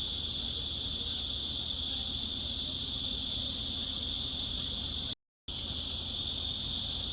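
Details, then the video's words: Cicada drone offered as a tinnitus masking sound, a continuous high shimmering buzz that holds level, cut by a brief dead silence near the end before the same buzz resumes. "중주파_매미 / Mid-Frequency_Cicada"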